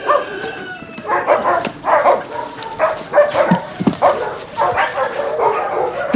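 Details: Dog barking at a husky kennel during recall training from free play: a series of short, sharp barks roughly every half second to a second, with a person's voice calling and praising in between.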